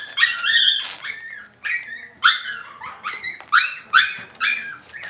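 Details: Cavalier King Charles Spaniel puppies in an indoor home puppy pen yelping and whining, high harmonic cries with falling tails repeated roughly every half second, some overlapping, in a quiet room.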